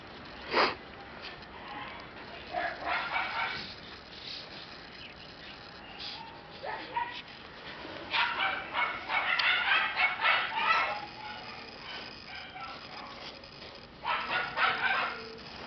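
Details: Black Shiba Inu female puppy giving bursts of short high yapping barks, clustered in quick runs with pauses between, against a steady background hiss.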